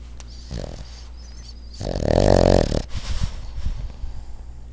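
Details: Dog asleep lying sideways, snoring: a soft rasp, then one long loud rumbling snore lasting about a second, followed by shorter fluttering breaths.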